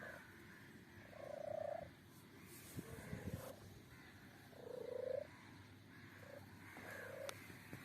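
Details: Kitten giving strange sounds: a few drawn-out, flat, nasal mews, each under a second, spaced irregularly, with soft rustling and a brief clatter between them.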